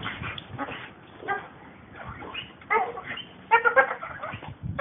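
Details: Several working American Pit Bull Terriers give short, harmonic, yelping barks in quick bursts near the end, mixed with scuffling and panting noises.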